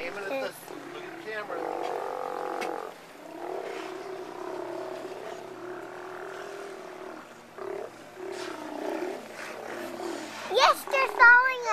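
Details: Steller sea lions at the colony on the west end of Hanson Island, British Columbia, playing around a boat; a chorus of low, drawn-out, overlapping roars and growls with short pauses, then a brief high voice at the end.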